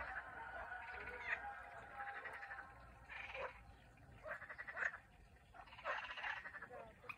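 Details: Turkish frogs giving rattling, pulsed croaks in bursts of about a second, several callers overlapping in a continuous chorus with faint background hum.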